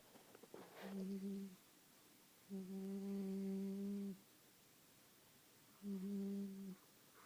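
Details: Sleeping Staffordshire Bull Terrier puppy snoring indoors: three steady, low humming snores with a faint whistle-like overtone, each lasting about one to one and a half seconds, separated by quiet pauses of a second or more.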